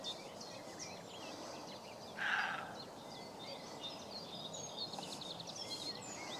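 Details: Buck roe deer barking back at someone imitating it: one brief, coarse, gruff bark rising out of a busy chorus of chirping and trilling songbirds over faint outdoor hiss.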